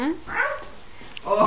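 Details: A female Maltese puppy gives short, high yappy barks, her first barks, with people talking nearby.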